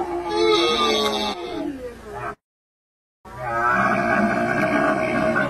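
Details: Camel giving a long, rough, groaning bellow with rich layered tones, cut by a brief silent gap before the droning call resumes, just as loud.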